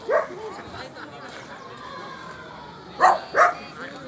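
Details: Alde the Border Collie at a Rally-Obedience G1 competition gives a single bark, then after a long lull two sharp barks close together, with murmured voices underneath.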